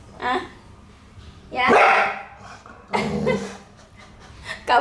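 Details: Hewie, a pet Pit Bull, raging and sad while having its nails clipped; three or four harsh, noisy outbursts come in short bursts, spaced one to two seconds apart, between a woman's soft, soothing Indonesian speech.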